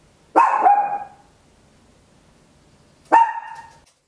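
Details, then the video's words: A tiny Papillon, recorded at home, gives loud, high-pitched barks: a quick double bark followed by a single one. "Tiny Dog Barking Very Loud, Papillon 10 min"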